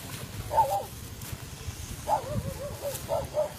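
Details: Phu Quoc Ridgeback dog hunting fish, this time without catching one; several short, high, whining yelps at uneven intervals over a steady low outdoor rumble.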